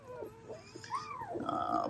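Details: Single Dobermann puppy from a spring 2022 litter giving a drawn-out, harmonic whine that swells upward, arches and then holds a steady wavering tone, with softer squeaks before it.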